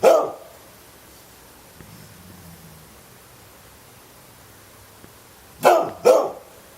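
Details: Pet dog giving one bark, then after a long quiet gap two quick barks in close succession.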